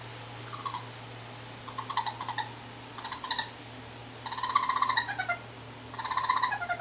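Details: Four curious young raccoons on an urban terrace, recorded close up: rapid chittering and trilling bursts that come quicker and louder toward the end, some sliding downward, over a steady low hum.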